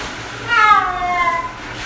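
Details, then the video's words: Six-year-old cat during its first bath, indoors: one drawn-out, harmonic meow lasting under a second, slightly falling at the end, over a quiet room hum. "Cat Bath Audio Only"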